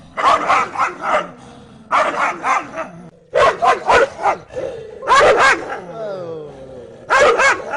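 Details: Dogs barking in quick volleys of three to five rough, ringing barks, roughly one volley every two seconds, with a brief descending whine after the fourth volley.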